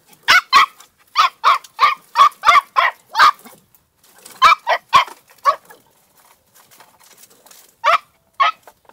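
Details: Two-month-old female Podenco de Cuevas puppy in a riding paddock, giving bursts of short, high yappy barks in quick runs of three to six, with brief pauses between bursts.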